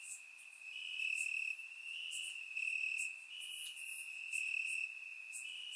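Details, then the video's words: Grass crickets on a warm Bulgarian summer night, surround recording; a constant piercing trill runs throughout while separate higher chirps pulse irregularly above it, several insects calling together. "Cricket Sounds - Crickets Chirping at Night"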